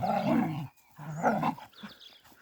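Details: Dogs in a village fight as a mother dog defends her puppy from attacking dogs; rough, low growling in two harsh bursts separated by a brief pause, ending in quieter scuffling.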